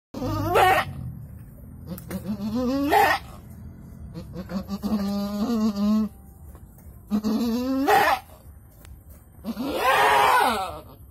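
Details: Goat giving birth to two kids in Indonesia, calling with wavering, strained bleats in long drawn bursts roughly every two to three seconds, harmonic and tremulous, the last one loud and raspy.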